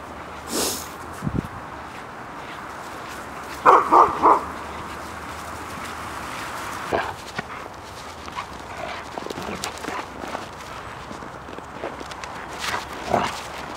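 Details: Siberian huskies outdoors in winter 2014 in Finland: a quick run of three short, fairly high barks midway, with scattered fainter yips and a soft bark near the end over a steady outdoor hiss.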